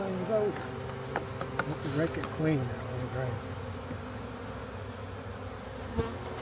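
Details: Honey bees from a large backyard swarm being captured for a new hive, giving a continuous low drone with a steady humming tone. Quiet male voices and a few clicks and knocks are heard over it.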